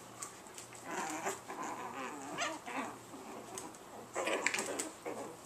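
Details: Chihuahua puppies recorded indoors on March 23: short, thin yelps and squeaky bursts scattered through the clip, with a soft steady hum underneath.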